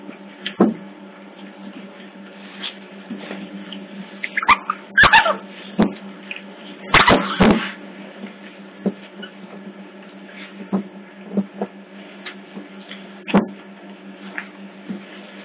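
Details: Otter pups at Hertfordshire Zoo, caught on a hidden CCTV camera: scattered short squeaky chirps, clustered in two brief bursts, over a constant low electrical hum with occasional clicks and knocks.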